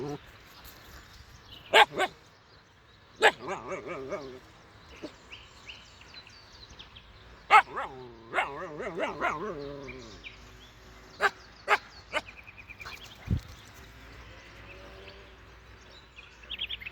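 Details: Siberian Husky puppy barking at sheep, with scattered sharp barks spread unevenly through the recording, short wavering whines between them, and a low background hiss.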